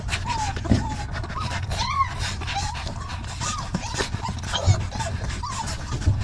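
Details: Several hungry puppies jostling for milk let out short, bent whines and squeaks at irregular intervals, with one sharper upward squeal near the two-second mark, over a constant deep hum and shuffling clatter.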